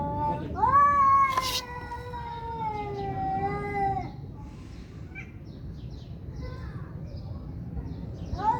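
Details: One fighting cat gives a long, loud howl that starts sharply and slowly slides lower over about three seconds, then a quieter lull, with a new yowl beginning at the end.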